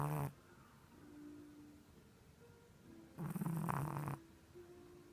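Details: Chihuahua asleep on its back, snoring like a person despite its small size: a brief rasping snore at the start, then a longer buzzy, low, harmonic snore lasting about a second after a quiet pause.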